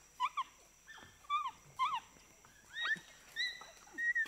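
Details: Pygmy chimpanzees shrieking in reaction to presentation of sugar cane; scattered short high squeals, some arched or rising, spaced by brief gaps amid faint background.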